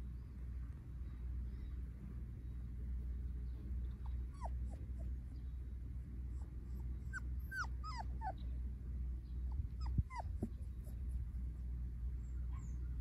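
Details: A Goldendoodle with a Standard Poodle mother and a Golden Retriever father gives thin, high whimpers and yips in short bursts over a steady low hum.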